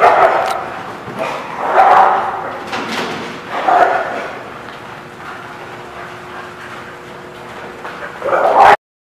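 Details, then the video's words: Dogs at The Barking Lot, recorded 20 February 2017, bark roughly every two seconds in a reverberant room, then a quiet stretch of low hum before one last loud bark at the end. "The Barking Lot"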